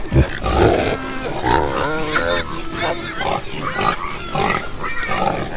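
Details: Pigs on a farm grunting, deep low grunts at the start, then nasal wavering squeaks and grunts from more than one animal, overlapping in a crowded pen-like din.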